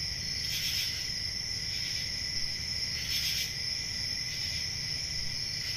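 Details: Crickets on a peaceful country summer night: a steady, high, shimmering trill runs throughout, with a fainter lower band beneath. Louder pulsed chirp bursts stand out twice, near one and three seconds. A soft low rumble fills the background.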